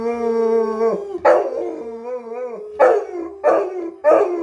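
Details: Quinn, a pet dog, howls together with his owner, who is speaking Huttese. A long, steady, harmonic howl holds for about a second. It is followed by wavering tones and three short, loud howling bursts spaced under a second apart.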